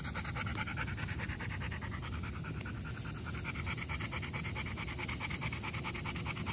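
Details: A Golden Retriever pants in rapid, even breaths, a soft rhythmic huffing repeated about twice per second throughout, over a steady low rumble.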